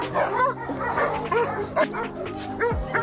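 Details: Rescued dogs, once newborn puppies found abandoned, now grown strong, barking happily while playing in the sun; many short, high, overlapping yips and barks from several dogs in quick succession over soft background music.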